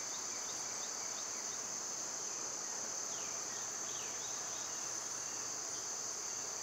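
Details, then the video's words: A steady, shrill wall of summer cicada buzzing runs the whole length, while a few brief downward-sliding bird chirps cut through near the middle. "Cicada sounds"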